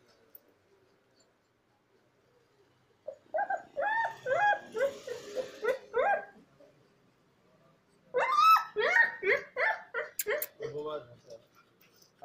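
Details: Sick Rottweiler with fever and in pain, kept in hospital for treatment: after a quiet start come two bursts of harmonic, wavering whines and moans, quick pulses roughly three per second, the second burst louder and ending in sharp yelps.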